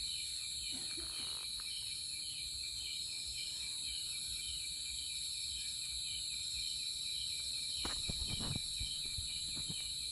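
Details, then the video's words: Cricket chirring in a steady high trill over a noisy outdoor background, with several dull knocks near the eighth second. "Cricket sound effect(cricket sound)"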